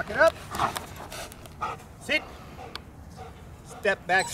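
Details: Milo, a jet black German Shepherd, during protection training: a few short, sharp barks break through a handler's spoken commands, with quiet gaps between the bursts.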